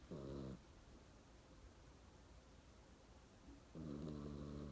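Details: Sleeping pet dog snoring indoors: two low, rough, buzzing snore breaths, one at the start and one near the end, separated by quiet breathing with a faint short snort in between.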